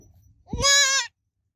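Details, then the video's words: Goat kid bleating once: a single loud, wavering, nasal bleat with rich stacked harmonics, lasting about half a second, rising slightly at the start then holding steady before stopping abruptly. "Baby Goat Sounds Babbling Sound Effect Goat Kid Sounds Effect"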